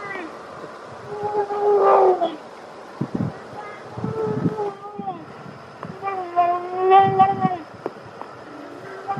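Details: American black bear cubs feeding with their family, making noises to protect their food from the other cubs: wavering, whining squeals with rich overtones, each lasting about a second, interspersed with short grunts and smacking sounds.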